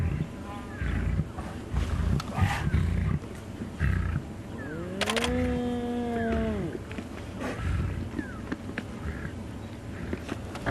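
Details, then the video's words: A spotted hyena, one of about 12 harassing the Tsalala lion pride on an October sunrise safari, gives a low, drawn-out moan of about two seconds that rises, holds, then sags, over lions' low rumble and growling. "Just hear those hyenas lowing in the background. [Music]"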